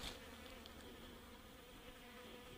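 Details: A steady, low droning hum of several blowflies buzzing around untouched meat bait at a camera site in the Brindabellas, Australia, holding level over a faint outdoor hiss.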